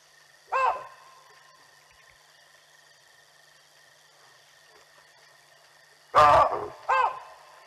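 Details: Alarm calls from baboons reacting to a passing leopard near elephants at the Olifants River, live camera stream, 18 June 2020. One abrupt bark, a long quiet gap, then two loud barks in quick succession over a constant hum.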